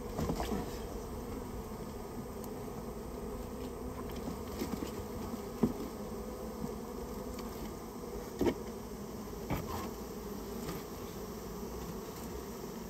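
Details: Japanese honey bees whose nest sat inside a storehouse, heard as the colony is removed. A constant thick buzz carries throughout, with occasional knocks and a couple of louder thumps.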